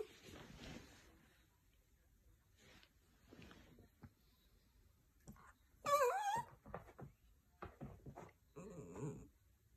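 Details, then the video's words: Indoor Toy Poodle whimpering for attention while its owner stays in bed: soft, scattered breathy whines and snuffles, then a sharper squeaky wavering cry midway, followed by quieter broken whimpers in a small room. "Cute Toy Poodle Crying"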